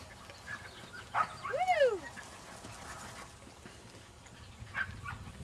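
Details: A Standard Poodle puppy playing in a field on a pretty day in March 2009 gives a single yelp, then a whine that rises briefly and falls away; faint yips later, with quiet outdoor ambience.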